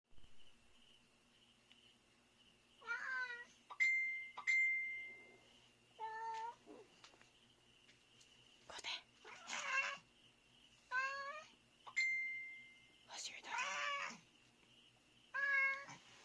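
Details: Male domestic cat awake indoors at about 3:32 AM, staring out a dark window and meowing; about seven drawn-out, wavering meows with gaps of roughly one to two seconds, over a steady faint high hum in a quiet room.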